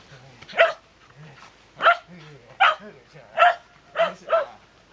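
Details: Shetland Sheepdog barking indoors: six sharp, bright barks spaced irregularly, roughly one every half to one second, with a quiet human voice murmuring between them.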